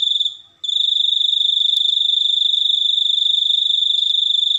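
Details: Cricket trill, high and penetrating, made of fast regular pulses. It drops out for a moment at the beginning, then continues steadily to the end, with a couple of faint clicks.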